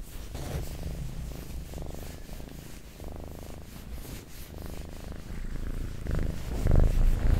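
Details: Domestic cat purring, recorded for ASMR: a low rumbling purr that swells and fades in breathing cycles about every second, growing louder with a few soft thumps near the end.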